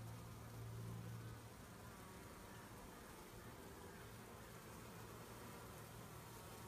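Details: Honey bee swarm being collected: a low, steady droning hum with layered deep tones, a little louder for the first second before settling into an even, continuous buzz with a noisy background.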